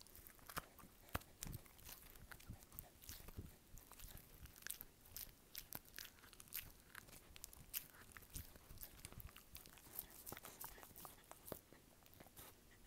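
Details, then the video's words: Dog chewing in an ASMR recording: dense, irregular crunching and biting clicks, sharp broadband snaps scattered steadily throughout, with a quiet room background. "ASMR dog’s chewing sound"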